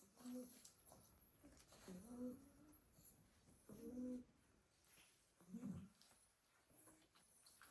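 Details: Several Staffordshire Bull Terrier puppies sleep piled in a basket after a full day playing in the garden, snoring softly: low, hoarse breaths, some with a faint humming tone, about every two seconds in a quiet indoor room.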